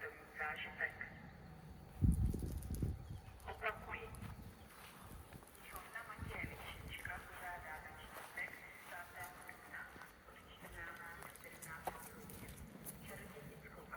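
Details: Sheep and baby lambs on a farm bleat in wavering, nasal calls over low thumps and shuffling.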